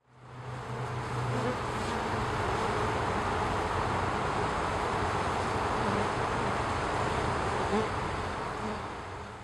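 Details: A female honey bee forager performs a waggle dance, recruiting nestmates to nectar or pollen about 750 m away at roughly 270 degrees from the sun; dense, steady, low droning hum of bees.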